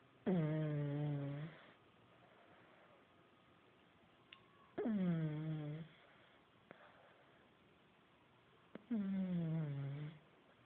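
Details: Buddy the pug snores while asleep at home, three strong harmonic snores about every four seconds, each beginning with a falling glide then holding a low buzzy drone, separated by faint breathy exhales and light clicks.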